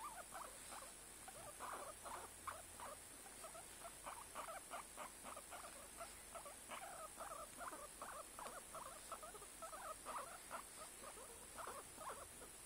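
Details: Guinea pig uttering a steady run of short, rapid squeaky pulses, repeated several times a second in bursts, with a constant faint hiss behind.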